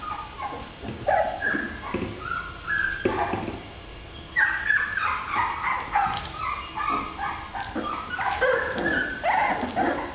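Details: Black female Labrador Retriever puppies: a busy chorus of overlapping high whimpers, squeaky yips and short whines from several pups at once, over a steady noisy background.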